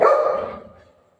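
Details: Golden retriever dog playing with its mom during a prank at home: one loud, sharp bark with a sudden onset, trailing off and fading away within about a second.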